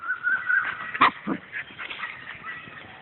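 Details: Dog whining from a German shepherd and Siberian Husky pairing: a thin, wavering high whimper held for about a second, then short sharp yelps, with people talking in the background.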